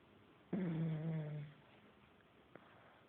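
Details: Pug dog asleep and snoring: one drawn-out, low, nasal rumbling snore lasting about a second, then near silence with a faint click.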